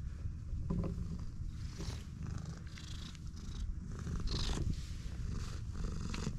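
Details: Stray cat, met only moments before, purrs continuously in a deep, even, vibrating rumble, while occasional brushing and rustling sounds pass overhead.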